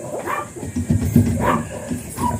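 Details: Blue Miniature Pinscher named Ziggs at a kennel in Manaoag, recorded in the morning. Short, gruff barks come in uneven bursts, roughly three across two seconds, over a low rumbling background.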